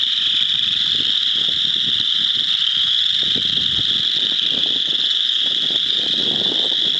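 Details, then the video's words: Chorus frogs calling in a frog pond, with a few wood frogs present; a dense, continuous high trilling chorus fills the whole stretch, with low rustling and wind-like rumble underneath. "Chorus of chorus frogs"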